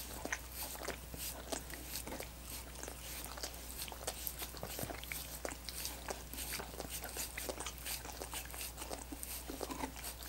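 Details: Dogs lick coconut water popsicles in a continuous patter of moist tongue clicks and smacks, fairly even in loudness throughout, with a constant low hum in the background.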